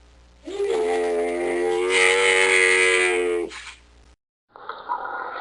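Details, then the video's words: A camel moans: one sustained, even-pitched groan with a slight upward slide at the start, lasting around three seconds. A short gap follows, then a breathy, grating rasp. "Sonido del Camello /Ronquido del Camello// Camel Sound /Camel Snoring"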